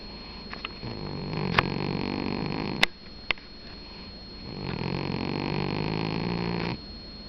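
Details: Snoring sleeping domestic cat: two long, gravelly, low inhaled snores of about two seconds each, separated by a quieter pause with a few sharp clicks.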